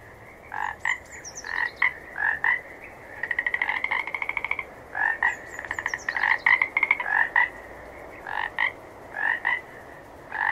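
Several frogs call in quick succession, giving short nasal croaks and fast rattling trills of clicks. The bursts overlap and repeat irregularly over a steady background hiss.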